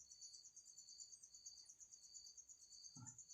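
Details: An insect trapped inside a bottle at home gives a continuous high, shrill, buzzing trill in two steady pitch layers. A single dull knock sounds near the end.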